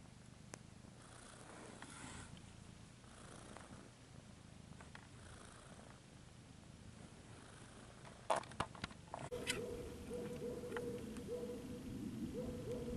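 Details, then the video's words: A cat purring softly in a low rumble, then a few clattering knocks and a louder, closer purr with a faint hum toward the end. "Cat ASMR"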